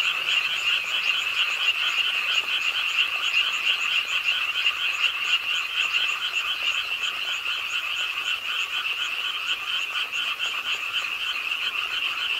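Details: Pond-side frog chorus at night in Ingye Art Park, Suwon, with rain falling. Croaks blend into a constant buzzing trill, with some individual notes pulsing more slowly through it, at roughly 86 a minute.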